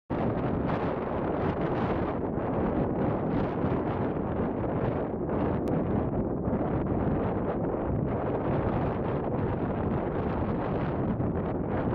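Steady, heavy wind buffeting the microphone throughout, with no animal calls audible.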